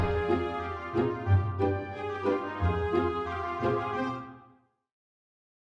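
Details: A short passage of music with steady harmonic tones and regular beats, fading out before the end. No animal voice stands out.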